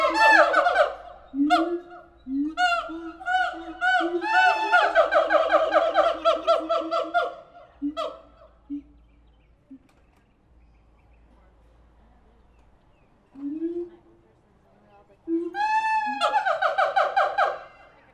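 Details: Captive siamangs at the Tulsa Zoo calling in dense, loud bursts of rapid harmonic barks. After a quiet lull, a few rising hoops sound, then another powerful burst of quick barks follows.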